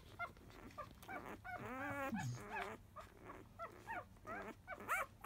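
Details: Labrador Retriever puppies five days old, from a field-line litter, making a fuss at the start of feeding: wavering whines and a longer quavering cry, then short squeaks, with shuffling and a low hum behind.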